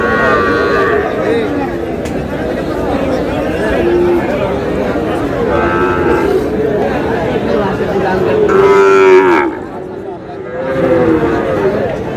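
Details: Cattle lowing at a Gaibandha livestock market on 30 July, where Sahiwal bull calves are traded. Steady murmur of people, with a loud, clear sustained moo near the end before the crowd noise briefly drops.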